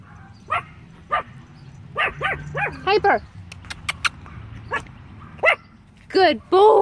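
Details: Several small Yorkshire Terrier puppies bark and yip in short, high, sharp bursts, scattered through the clip with louder yelps near the end, while a woman calls the dogs and praises them.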